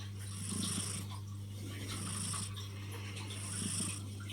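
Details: Tuxedo cat snoring contentedly while lying on a person's arm; slow rhythmic breaths in and out, about three cycles in four seconds, over a steady low hum.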